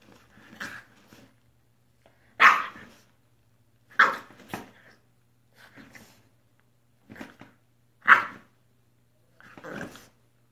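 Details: A female French Bulldog, playing alone and attacking a sheet, gives short, hoarse barks in scattered bursts, seemingly at the sound of her own bark, while a person talks between them.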